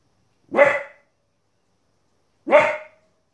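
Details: Two evenly matched, sharp harmonic barks about two seconds apart from a 15-week-old female Border Collie puppy barking at wolves and other animals on TV.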